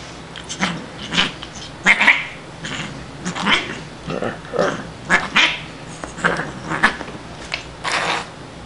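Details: Siamese cat Shiloh, a female found as a tiny kitten at a grocery store loading dock, vocalising during playtime with a person: a run of short, harsh, growly yowls in quick bursts roughly every half second, with light handling noise.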